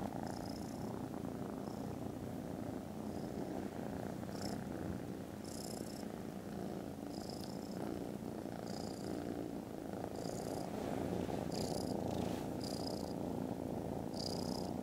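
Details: Sleepy, contented foster kittens after lunch on 18 December purr loudly, a constant low throbbing drone, while thin high chirps recur roughly every second or two in the background.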